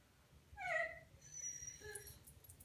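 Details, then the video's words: Seven-month-old male Xoloitzcuintli (Mexican Hairless) puppy indoors, reacting to his reflection in a mirror he just discovered: one short, high, tonal whimper, then faint softer whining in a quiet small room. "Xoloitzcuintli doesn't like what he sees in the mirror"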